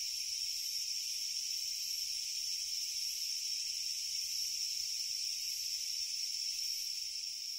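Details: Japanese leaf katydid, found only in Japan, in steady, harsh, high buzzing song with no pauses, over a quiet background.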